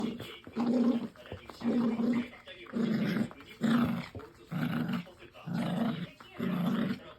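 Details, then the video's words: Domestic dog making an odd sound while playing tug indoors: low, rough growling grunts in short bursts of about half a second, repeated roughly once per second, seven times in a row, with quiet gaps between. "터그놀이할때 이상한 소리를 내는데.."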